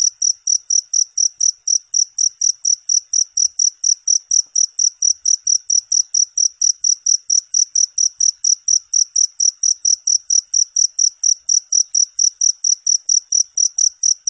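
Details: Long unbroken run of cricket chirps, bright and high, pulsing steadily at about three to four per second throughout, nothing else audible.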